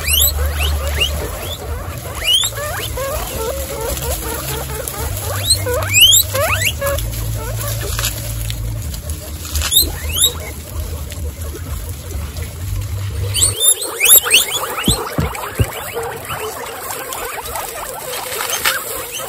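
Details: Excited female guinea pigs from a group of 26, standing up and wheeking: repeated shrill upward-sweeping squeals in scattered bursts over a steady low hum that stops partway, followed by a busier stretch of overlapping squeaks and rustling.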